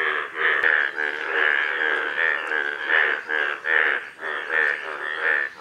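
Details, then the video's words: Golden frogs giving repeated rasping, buzzy pulses at a steady pace of roughly 76 per minute, each pulse strong and bright, with little else audible beneath them. "Golden Frogs"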